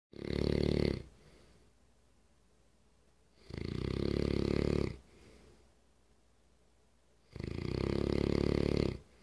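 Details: Remington, an English Mastiff, snoring very loudly even while awake; deep rasping rumbling snores with bright overtones, three long breaths about every three and a half seconds, quiet pauses between.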